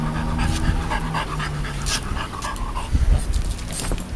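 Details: After a walk in the heat, a heat-sensitive French Bulldog lies sprawled out and pants. Rough, breathy panting bursts repeat against a noisy background with a faint low tone.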